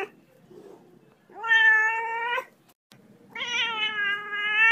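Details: Angry cat giving two drawn-out, harmonic yowls, each about a second long with a steady pitch and a rough, strained edge, separated by a short pause; faint low rumbling before the first.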